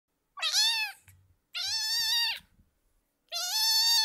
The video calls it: Sonidos de gatitos recién nacidos 2